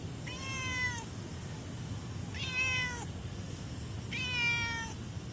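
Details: Orange domestic cat, having eaten half a can of food, meows three times, about every two seconds; each meow is a clear, harmonic, slightly falling cry under a steady background hiss.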